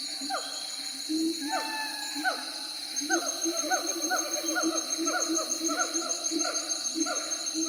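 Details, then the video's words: Siamangs giving spaced hooting notes that speed up into a rapid series of short descending hoots, with a continuous high-pitched insect-like hum behind. "Siamang Monkeys Ambience Sound Effect"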